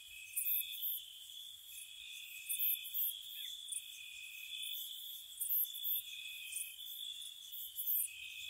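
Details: Gentle crickets chirping on a spring night near a cottage: continuous high-pitched trills in two bands, punctuated by brief sharp upper chirps at irregular intervals.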